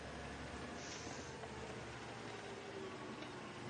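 A low, steady vehicle rumble with broadband noise fills the recording, and no animal calls stand out.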